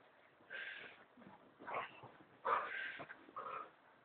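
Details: Indoor American Staffordshire Terrier protesting its owners lying in bed: four drawn-out, nasal whining moans, each about half a second, rising and falling in a vocal, talking-like pattern.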